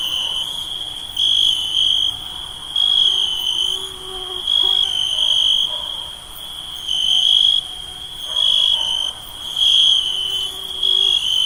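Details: A steady, high-pitched chorus of night insects trills continuously, pulsing louder and softer every second or two.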